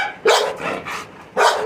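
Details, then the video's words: Milky, a Labrador Retriever, gives two loud broadband barks about a second apart, the gap between them filled with quieter murmuring sounds. "Milky has been shouting"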